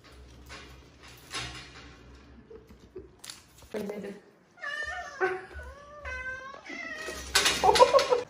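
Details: Rescued kittens, lost or fallen, including one from a pitch-dark sewer, meow repeatedly in a quick series of bright, falling cries, with a human voice and rustling in the room.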